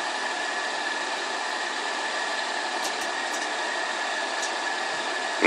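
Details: Continuous idling engine drone with a steady tone and faint ticks, ending in a short burst of noise, with no bark or whine from the Pug and Boston Terrier mix.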